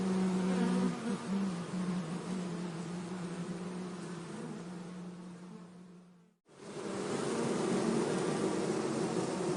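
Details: Honey bees being moved from an anthill into a hive box in forest near Hebri, Kannada region: dense, low droning hum with a steady tone, dropping sharply to near silence around six seconds before the buzzing swells back.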